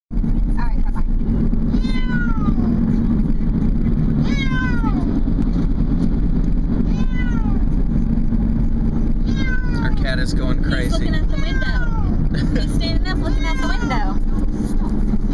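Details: A male pet cat, unhappy, whines in a car during a vacation trip. Drawn-out meows slide downward in pitch, coming every two to three seconds and then bunching together near the end, over a steady low engine and road rumble.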